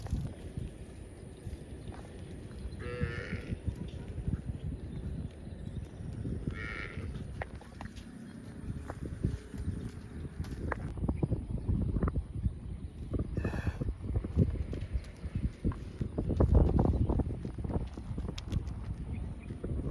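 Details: Cows roaming the fields and calling for friends. Three or four drawn-out moos with layered overtones come at about 3, 6.5 and 13.5 seconds over constant low rumbling, scattered clicks and outdoor noise.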